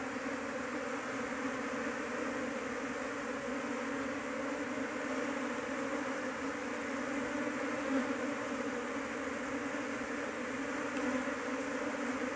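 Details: Honey bee colony (Apis cerana) being searched for its queen, meant for keeping at home; a steady, dense hum holds a low droning band throughout with a broad hiss above, unbroken for the whole stretch.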